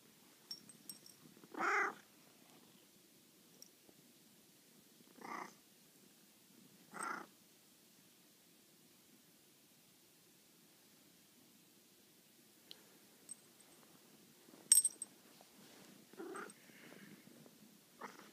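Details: Maine Coon cat (Felis catus) waking its owners with affection, purring steadily and giving short chirping meows to tell them it's time to get up.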